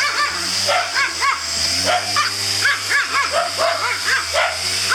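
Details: A white Pomeranian takes on a vacuum cleaner with rapid, uneven yaps, roughly four a second, each bark arching up and down in pitch above a constant low mechanical drone.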